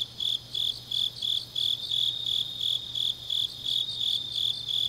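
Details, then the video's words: Autumn night chorus of grass insects recorded in Changnyeong, Gyeongnam, Korea; sharp high pulses repeat roughly every third of a second, some runs blurring together, over a thin layer of other insect trilling and a faint low hum. "깊은밤 가을 풀벌레 소리"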